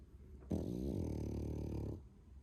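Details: A loud, snoring young male French Bulldog, 11 months old: one steady, low, throaty snore of roughly one and a half seconds, starting with a slight wobble and then holding evenly before stopping abruptly.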